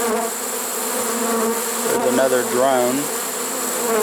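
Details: Honey bees of a swarm caught in a trap on 1 September 2019, late in the season. A constant buzzing drone is briefly overlaid by a man's words in the middle.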